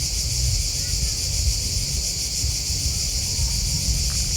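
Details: A continuous shrill trilling of chirping crickets, finely pulsed and unchanging, with a low, rumbling noise underneath throughout.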